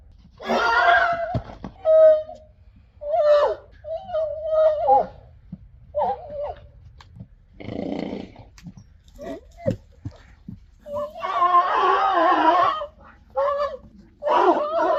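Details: Friesian horse; squeal; annoyance at another horse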